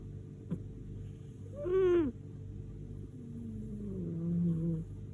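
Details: Domestic cat Lady Silvana snoring like a tractor while asleep: one loud droning tonal snore near two seconds, then a softer, longer low wavering breath, with a brief click at the start and steady background hum.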